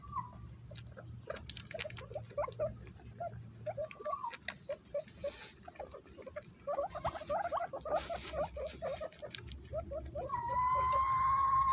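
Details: Pet guinea pigs scrambling to eat bananas: rapid short squeaks in a steady patter, several long whistled wheeks at the start and a loud sustained wheek near the end, with rustling underneath.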